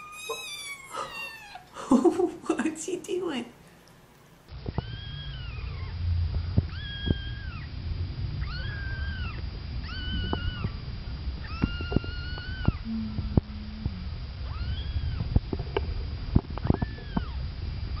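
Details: Kittens learning to meow, a three-week-old kitten among them: an opening tumble of high squeals, then a run of short, evenly spaced arched mews over a steady low background rumble.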